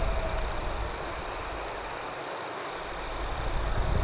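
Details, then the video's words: Night crickets by a campfire: a continuous piercing trill overlaid with short bright chirp bursts repeating about twice a second, with a softer low rumble beneath. "Night Campfire Ambience with Cricket Sounds"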